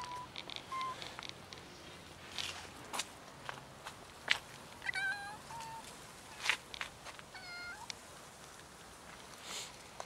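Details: Hungry street cats crowd together at feeding time, a new little kitten among them, meowing repeatedly in short, bright, clearly pitched calls scattered through the clip, broken by clicks, taps and handling noises.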